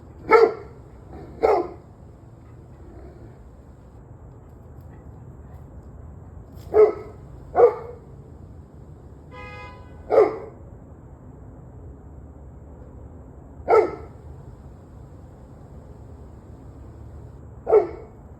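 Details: Sporadic dog barks, often in pairs, sharp and punchy with long quiet gaps between; a brief tonal harmonic sound appears midway amid low background noise.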